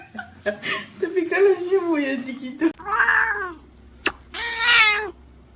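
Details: Pet cat meowing loudly: after human chatter, two clear, bright meows rise and then fall in pitch, about a second and a half apart, with a sharp click between them.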